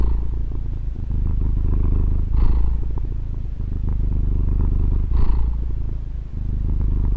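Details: Female domestic cat purring, recorded on a Tascam DR-40: a steady deep rumbling drone with a soft breathy swell roughly every two and a half seconds as the breath changes, and no other sounds.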